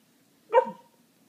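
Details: A female Pembroke Welsh Corgi gives a single short, bright bark with a sharp onset and quick falling tail while being coaxed to "say her name" for a treat.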